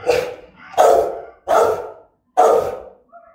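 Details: Aggressive Rottweiler barking, German type, threatening in tone: four loud, gruff barks spaced roughly every three-quarters of a second, each broad and rasping, with a faint whine at the end.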